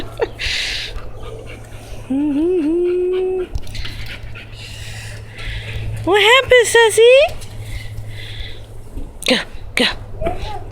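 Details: Puppy that followed someone into a house, wanting to play, gives high, wavering whimpers in two bursts, with a woman's voice encouraging it and a steady low hum indoors.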